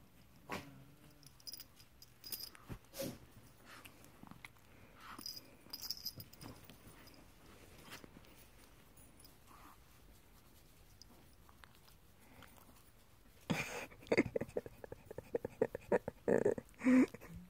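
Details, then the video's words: Pekingese rescue dog playing like a pup indoors: scattered soft scuffles and thumps, then a closing run of loud, rough, harmonic yips and grumbling growls in quick bursts, with a person talking to the dog. "Pekingese playing like a pup"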